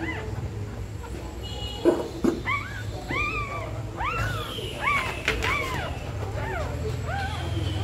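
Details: Dog in labour, nesting before giving birth: thin, upward-bending whines come in quick clusters, several overlapping in the second half, above a low background hum with a few soft knocks.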